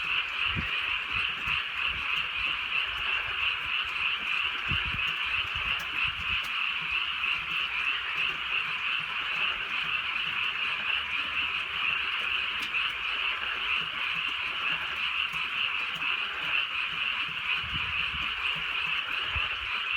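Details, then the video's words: Frogs calling through a drizzly rural night: a dense, unbroken chorus of overlapping high croaks forming a steady buzzing wall of sound, with faint rain hiss and occasional soft ticks underneath. "개구리 소리"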